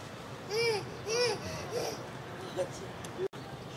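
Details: White-handed gibbons at Tokiwa Zoo in Ube, where a baby has begun moving away from its mother: clear arched tonal hoots, each rising then falling, spaced roughly every half-second, the first two loudest, then softer shorter notes over a steady background hum.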